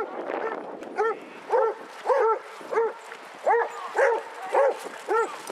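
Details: Basset Hounds among a group of 22 on a walk round Hazlehead Park, Aberdeen, Scotland, on 2 February 2014: about eight mellow, arched bays come roughly every half second, each a rounded rise and fall with rich harmonics, with murmuring human voices behind.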